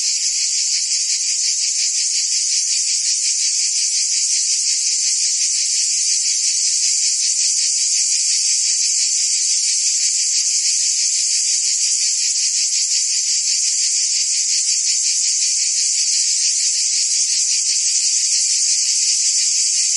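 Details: A constant cricket and insect chorus, very high and shrill, with rapid regular pulsing and unchanging volume throughout.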